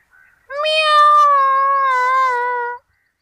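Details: Kitten giving a single sustained, clear meow lasting a little over two seconds, steady in pitch with a slight fall at the end, in an otherwise quiet setting.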